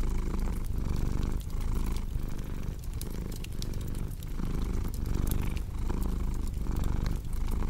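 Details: Cat's deep, continuous purr paired with cozy fireplace ambience, the low vibration rising and falling in regular breathing cycles under about a second long, while bright crackles from the fire punctuate it throughout.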